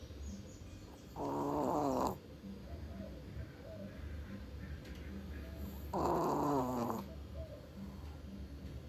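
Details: Female Chihuahua asleep and snoring, two separate raspy nasal snores about five seconds apart, each lasting roughly a second, over a quiet humming background.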